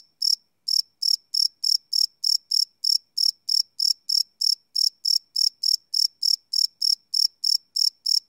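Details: At night, crickets chirp in crisp, high pulses repeated roughly three times per second after a short opening gap, recorded live on a Sony PCM D100 field recorder with no other sounds.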